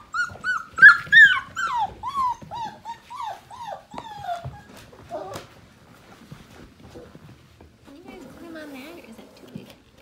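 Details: Morning play among a litter of Portuguese Water Dog puppies just over five weeks old: a rapid string of bright, bouncing whimpers fades after about five seconds, followed by quieter scuffling and a few soft, wavering cries near the end.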